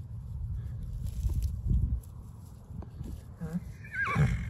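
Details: Wild horses grazing along Deadman's Creek trail in Washoe Valley, Nevada, in April; low hoof thuds and shuffling, then a short descending whinny near the end, with faint background noise.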